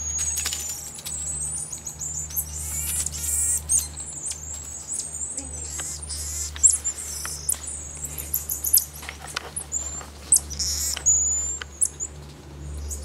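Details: Common marmoset calling in a busy mix of high chirps, short whistles and buzzy notes, overlapping and irregular, with scattered clicks and a steady low hum beneath.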